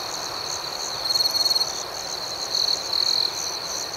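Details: Nighttime cricket chorus outdoors, a continuous high-pitched ringing drone overlaid with rapid pulsed chirps, plus two short louder bursts of chirping at about one and two and a half seconds.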